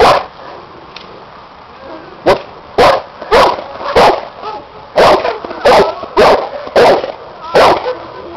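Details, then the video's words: Seven-year-old Cane Corso in a protection work test with a new helper and a hidden sleeve, barking in a rapid series of about a dozen loud deep barks after a quiet opening two seconds. "bandog cane corso doing protection work test"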